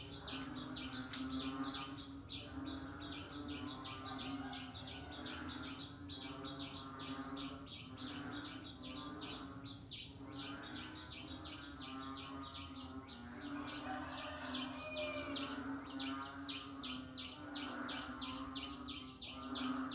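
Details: Frogs calling during the rainy season: a dense chorus of high, rapid clicking pulse trains repeating in bursts, layered over a lower throbbing, croaking pulse and a steady background hum.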